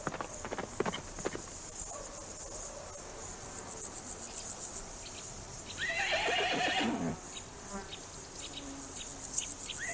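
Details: Horse neighing on a farm among a herd of domestic horses: one loud, shaking whinny of about a second that falls in pitch midway through, set against constant high cricket chirring and scattered hoof clops.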